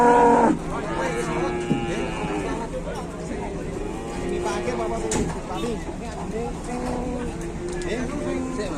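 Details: Trapped cow lowing while being offered a drink; a short loud call at the start, then a series of wavering, harmonic moans against steady noise and some human speech.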